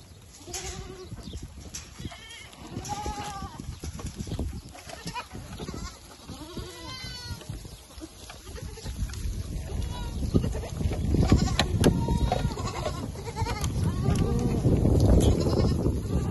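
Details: Herd of Bishi goats in Al-Muzaylif, north of Al-Qunfudhah, Saudi Arabia: 96 head with 30 kids, some does heavily pregnant, mostly young. Several wavering, harmonic bleats rise and fall among steady rushing noise that grows louder toward the end.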